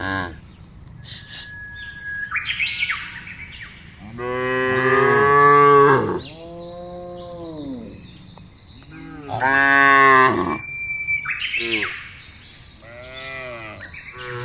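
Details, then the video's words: Several moos from cows in a field, long harmonic calls rising and falling, some overlapping, repeated every few seconds, with frequent bird chirps and whistles in the background. "FUNNY SOUND OF COWS IN THE FIELD..SUARA SAPI LUCU"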